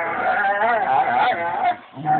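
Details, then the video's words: Max, a black dog, 'talks' to his girl with a continuous wavering, moaning voice whose tone rises and falls in uneven waves. It dips briefly to near silence near the end, then resumes. "Dog talking dog to his girl"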